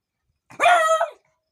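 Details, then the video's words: A Beagle barking loudly: one drawn-out, tonal, slightly howling bark lasting about half a second, holding steady before dipping at the end, with silence around it. "beagle dog barking loudly"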